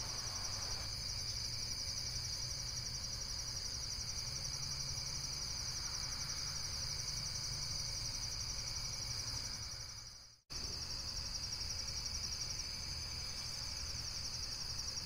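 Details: High, fast-pulsing insect trills form a constant chorus that cuts out abruptly to near silence at about ten seconds, then resumes just as before, over a low background hum.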